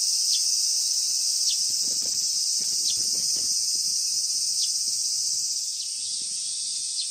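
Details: A dense chorus of cicadas near summer's end, 19 August 2020, makes a steady, shrill, sizzling drone barely changing in loudness, with brief sharper chirps every second or so and faint low thumps beneath.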